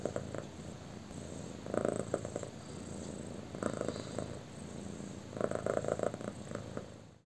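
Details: A pet cat enjoying being petted on her tummy purrs softly and steadily, with three louder buzzy bursts of clustered pulses spaced a couple of seconds apart, in a quiet indoor room.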